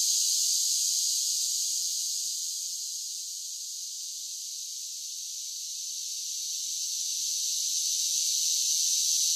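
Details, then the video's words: Singing cicadas in summer, their high buzzing drone loud at first, easing to a softer level through the middle, then swelling again toward the close, continuous with no breaks. "10 Hours of Cicada Sounds for Relaxation with Soothing Summer Nature Sounds"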